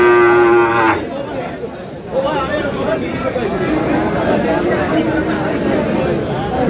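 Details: At a cattle market in Aftabganj, Dinajpur, Bangladesh, where Friesian and crossbred bull calves are sold: one steady, low moo lasting about a second opens the scene, followed by loud market chatter and bargaining voices.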